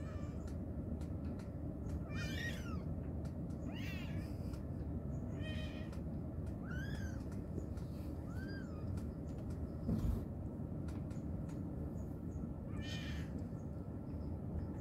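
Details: Calling her babies, a mother cat gives brief chirping meows roughly every one and a half seconds, rising then dropping, then a pause before one last call, against heavy low-pitched rumble.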